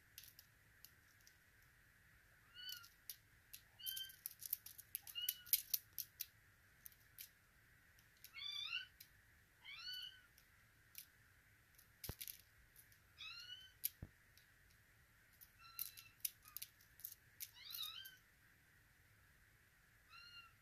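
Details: Russian Blue kittens in Vancouver, one a female named Zoya born September 6, 2023, meowing repeatedly with high, thin calls, some bending down at the end, several in quick pairs, alongside frequent clicks and scratching sounds.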